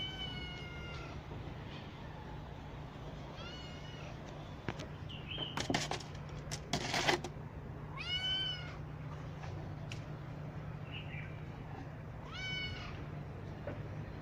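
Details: Kittens of rescued street mother cats in a cat house, one with an eye wound receiving eye drops, give high harmonic meows in short bursts spread across the recording, with handling noises and a steady low hum.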